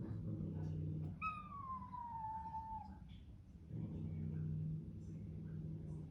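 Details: Bengal kitten, newly arrived in the home, crying while facing a large hissing resident cat. One drawn-out meow slides slowly downward and fades, set against a low droning hum.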